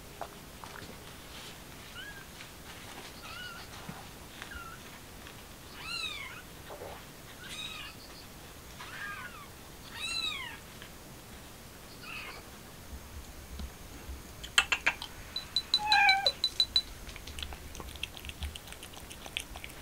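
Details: A mother stray cat trying to take her kitten outside; a series of faint, arched high meows at irregular intervals over background hiss, with a louder burst of short squeaky cries near the end.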